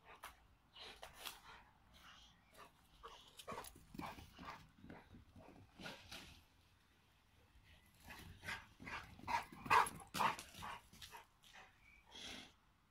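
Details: At home, a 4-year-old American Pit Bull Terrier called Bailey and a 3-year-old Boxer called Dodge, both males, play together. Rough yaps and growling bursts tumble out in quick, uneven runs, with a louder flurry in the second half.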